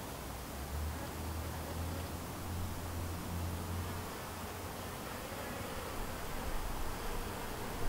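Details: Honey bees around a white hive, a colony split from a yellow hive and said to be thriving: a steady low droning hum with faint pulsing bands under broad hissy background noise throughout.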